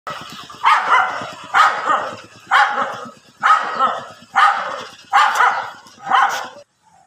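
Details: Angry dogs fighting on grass give a run of seven loud, harsh barks, evenly spaced at roughly one per second, each bark a short rough burst ending in a brief pause before the final silence.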